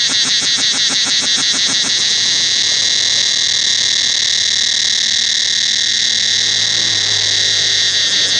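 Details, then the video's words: Forest cicadas at the Angkor Wat temple: a fast rhythmic throbbing beat for the first two seconds, then only the constant high, ringing buzz of the chorus, unbroken to the end. "Listen to the sound of Cicadas throughout the forest of Ankgor Wat temple"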